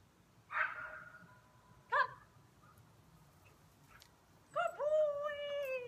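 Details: Young high-drive male German Shepherd, one year old, at the start of obedience training: two short, sharp barks about a second and a half apart, then a drawn-out, falling, tonal whine near the end.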